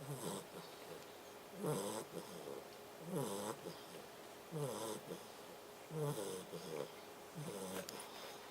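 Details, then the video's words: Labrador Retriever puppy snoring: soft, rasping snores with a rough, gurgling edge, repeating steadily about every one and a half seconds over a quiet background hiss. "Labrador Puppy Snoring"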